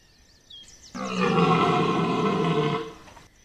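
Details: A red deer stag (Cervus elaphus) at Chambord in September 2021 gives a long, deep, rasping bellow, the rutting roar of the autumn breeding season.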